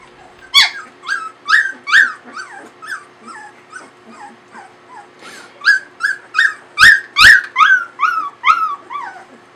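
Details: Samoyed puppies aged 22 days whimper and yip in quick succession, thin rising-then-falling whines repeated roughly twice a second, with a sharp click or two and a faint steady hum beneath.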